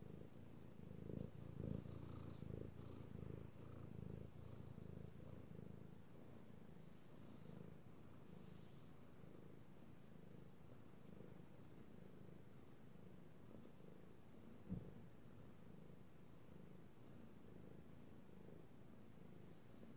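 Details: Male cat purring while being petted, recorded 16 March 2018: a soft, continuous low rumbling purr with a faint breathing rhythm and occasional light touches of the hand.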